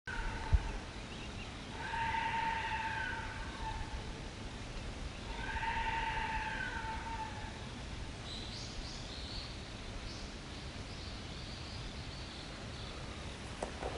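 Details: Deer heard on a forest hike in Japan give two drawn-out, wavering calls, each about two seconds long, over a low rumble of wind.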